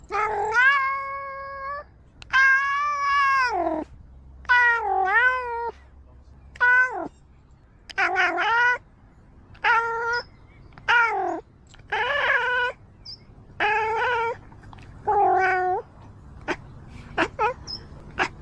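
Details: Domestic cat making unusual sounds: a run of about twelve loud harmonic meows, some long and level, others bending down then up, spaced roughly a second apart in a quiet room.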